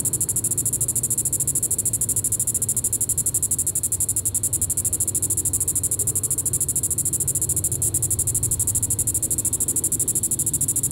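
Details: Diceroprocta vitripennis cicada at Sand Hills State Park, Kansas, evening of July 20, 2014, producing an unbroken high-pitched rattling buzz of rapid regular pulses, unchanged in loudness from start to finish.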